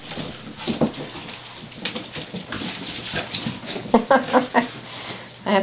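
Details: Staffordshire Bull Terrier puppies, five and a half weeks old, from one litter, indoors; after a stretch of rustling and handling noise, a quick run of four or five short, clipped whimpering yelps, with people talking nearby.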